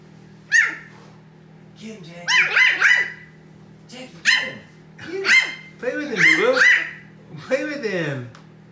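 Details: Pug puppy playing with his big brother pug indoors, who tries to calm him to nap; high whiny yelps and short barks in bursts with pauses, over a steady low hum.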